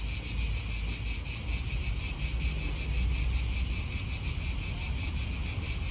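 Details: Cicadas in an Italian park keep up a shrill continuous buzz with quick regular pulsing, a lower hum band beneath, and soft wind and distant traffic.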